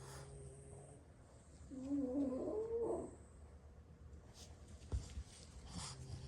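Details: Napping French Bulldogs, one of six siblings resting after play: a single brief humming, wheezy snore breath, followed by a few light clicks and rustles indoors.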